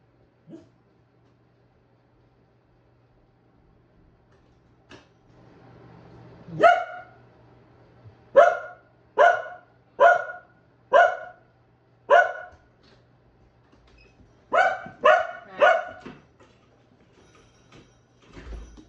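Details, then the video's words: Two dogs, a Keeshond and a Boston Terrier, barking excitedly indoors to greet their owner arriving home; a few sharp single barks, then a rapid series of loud yaps roughly every half second, a pause, and another quick burst. "Boston Terrier and Keeshond Bark To Greet Their Daddy When He Comes Home!"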